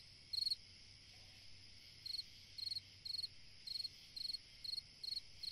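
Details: Cricket song on a summer night, a steady run of brief high trilled chirps about twice per second after a short opening pause, set against a constant high-pitched background drone.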